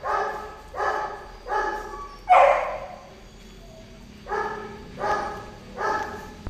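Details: Mating golden retriever giving six short, ringing whine-yelps in an uneven series, the fourth louder and harsher than the rest, against a quiet low hum.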